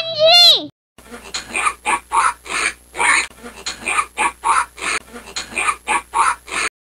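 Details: Pig giving rough, snorting grunts in short bursts, about two to three per second and fairly regular, following a brief whooshing sound effect at the start.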